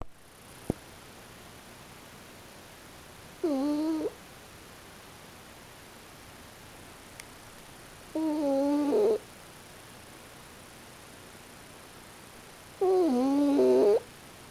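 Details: Raccoon dog named Pochi snoring while asleep with a strange face: three separate tonal, slightly wavering snores, each about a second long, spaced roughly every four to five seconds, with quiet room noise and a faint click between them.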